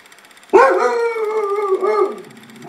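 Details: A pet dog in a backyard, spooked and egged on by a man urging it to get him, gives a loud wavering howl that starts abruptly, holds a steady tone with rich harmonics, then dips and fades after about a second and a half.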